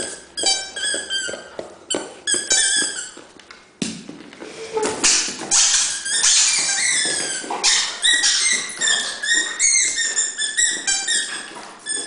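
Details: Dobermann playing indoors, giving a rapid run of high, squeaky, whining notes with bright overtones, short bursts tumbling over one another about twice a second, broken by a brief pause before a louder, denser stretch.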